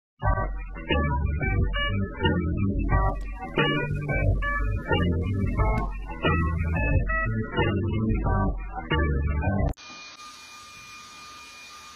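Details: Bouncy organ music plays for most of the recording, then cuts to a quiet background hiss with a steady tone, and no animal calls are heard.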